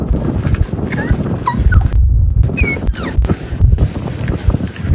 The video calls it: Baby Lion Chirps! (Sound ON) 🔊